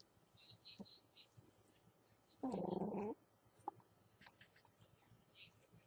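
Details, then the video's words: Two little Shih Tzu mix puppies eating together and not liking to share; one gives a steady low growl lasting under a second, surrounded by quiet clicks, soft whimpers and faint rustling. "Shih Tzu mix puppies don't like sharing"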